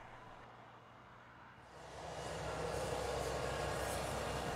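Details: Steady low rumble with a constant hum; after about a second and a half it swells into a louder, broad rushing roar like a passing train, with no animal voices.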